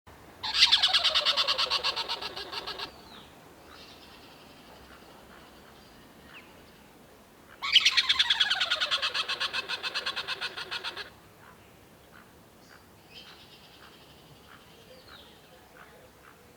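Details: An African tree squirrel gives two bursts of rapid, harsh clicking chatter that fade and drop in pitch.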